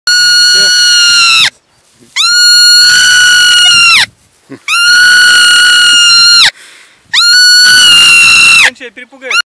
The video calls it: Как кричит сурок How marmot screams